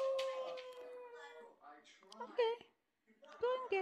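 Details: Budi, a 10-year-old senior West Highland White Terrier, talks indoors while enjoying a belly rub: a long, steady, tonal whine held for over a second, then shorter wavering, rising and falling yowls in two bursts.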